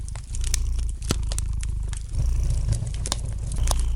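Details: Gentle purring of a cat next to a fireplace, a soft low drone that steadies after a short dip, accompanied by bright crackles and occasional louder pops of burning wood.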